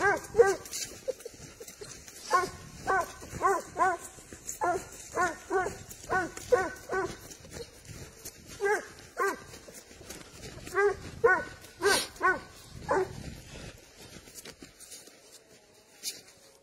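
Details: Spanish hound on the trail of wild boar, barking in steady, ringing bursts about every half second through most of the stretch, with brief pauses and a few sharper cries before fading toward the end.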